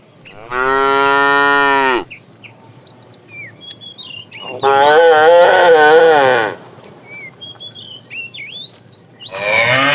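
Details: A fat cow from a tame herd being driven in the afternoon calls to the female: two long, loud, harmonic moos of about a second and a half each, a pause between, a third starting at the end, with small birds chirping throughout.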